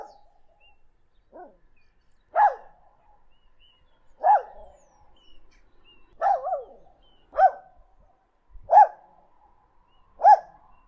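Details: Dog barks arrive singly or in quick pairs roughly every one and a half to two seconds, each a sharp mid-pitched yelp, with a soft whine near the start and silence between.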